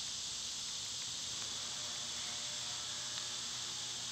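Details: Summer cicada chorus forms a level, dense, high buzz that never pauses, over a faint low hum.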